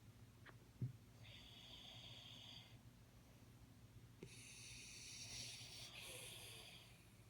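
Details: Jaxie, a Jack Russell Terrier, snores while sleeping: two long, soft, hissing breaths, the first about a second and a half, the second longer and wheezier, over a steady low hum with a few faint clicks.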